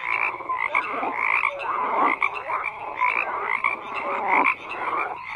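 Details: A dense chorus of many frogs croaking together, with overlapping raspy pulses and short bright whistled notes rising and falling across the clip, forming a continuous wall of calls.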